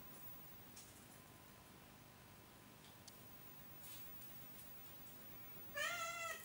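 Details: Oriental or Siamese cat indoors. A quiet room with faint taps gives way to one clear, high, slightly wavering meow at the very end.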